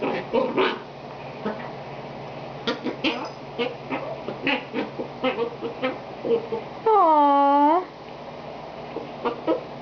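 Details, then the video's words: Itchy puppy wanting something: scattered soft squeaks and grunts, then one loud, drawn-out tonal whine lasting almost a second that dips and rises again, followed by a few faint squeaks over a low hum. "more random itchy puppy sounds"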